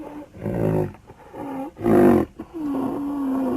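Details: Rhinoceros calling: four drawn-out, moaning tonal calls rich in harmonics, the first three short and swelling, the last a steadier, level moan lasting about a second, in a quiet setting with no other sounds.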